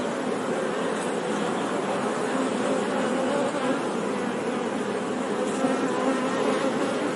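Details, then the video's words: Honey bee buzzing forms a constant, rich hum; low wing tones waver slightly up and down while the overall drone stays even, with nothing else clearly audible. "Bee Sound 🐝 | Sonido de Abeja | मधुमक्खी की आवाज़"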